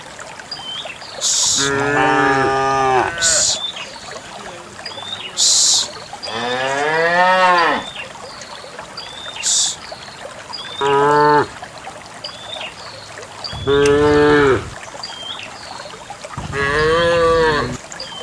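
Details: Dozens of cows driven along a path into a farm pen low repeatedly: six moos of varying length, some long and bending, others short, with sharp clatters and hoofsteps in between.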